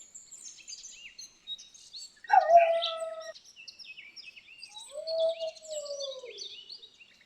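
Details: Dog moaning when lying down, giving two low, drawn-out moans, the second longer and sliding downward, amid busy high chirping of birds outside.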